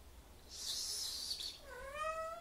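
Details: A male pet cat stays up high indoors, out of reach and unwilling to come down. A hissy breathy burst comes first, then a single clear meow that rises steadily in pitch and holds strong harmonics.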